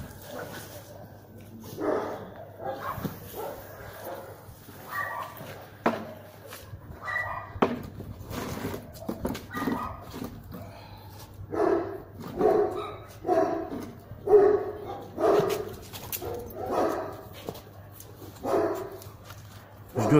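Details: German Shepherd during a guard-dog test, first entry cold without warm-up: repeated rough barks, roughly one per second, loudest in the second half, with a man speaking about provocation and a steady low hum throughout.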